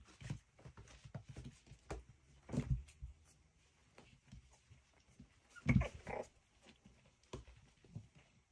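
Miniature schnauzer puppies give soft, low grunts and brief yips in scattered bursts.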